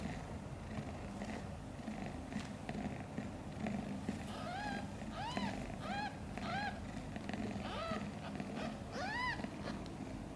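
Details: Kitten Guitar, one of five newborns of mother cat Chan born a few days earlier, sleeping soundly: about half a dozen short, high, arching mews in loose succession over a steady low hum.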